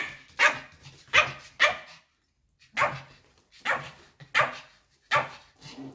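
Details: A pet white Pomeranian barks in displeasure as its family prepares to leave: three quick sharp barks, a two-second pause, then four more spaced barks in a small room.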